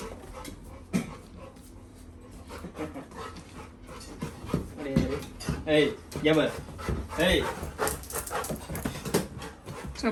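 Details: Labrador Retriever puppy Little John whimpers to hurry his brother into taking him for a walk; a run of wavering, nasal whines over snuffling and panting, growing more insistent toward the end.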